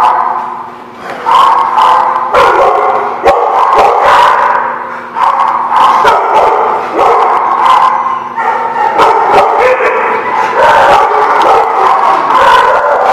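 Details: Dogs recorded on 16 December 2017 at a dog lot form a dense, loud chorus of overlapping howls and barks. The sound is continuous, with sharp yips and bursts breaking through the steady wailing.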